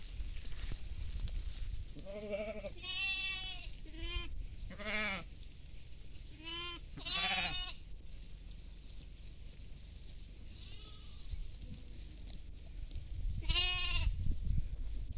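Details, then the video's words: Goats feeding in a field alongside sheep: a run of wavering, quavering bleats from several animals, some short and some drawn out, scattered over a steady low background rumble. "goat sounds"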